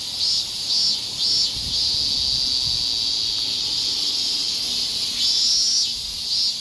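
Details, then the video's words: Higurashi cicada in summer in Japan: several brief high pulsed calls spaced about half a second apart, then a steady shrill buzz, with another pulsed burst near the end. "ひぐらしの鳴く声 (セミ)"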